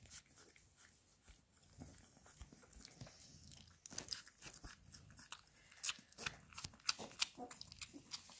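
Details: Labrador Retriever puppies eating minced beef indoors: busy repeated smacking and crunching clicks, about three a second, growing louder and denser in the second half.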